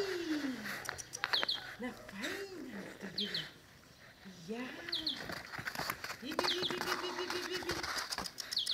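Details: Five-week-old Dogo Canario puppies from Bomba and Carus make low arched whines and drawn-out moans, one long steady whine near the end, while small birds chirp high above and soft rustling continues.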